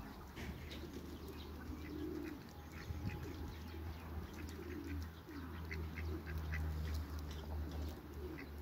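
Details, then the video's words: A pair of hybrid mallard ducks kept in a backyard with other waterbirds, giving soft, low, nasal quacks and murmurs scattered through the clip over a steady low hum and faint clicking sounds. "COUPLE HYBRID MALLARD DUCKS AFTER THE CREATE WATERBIRDS IN THE BACKYARD"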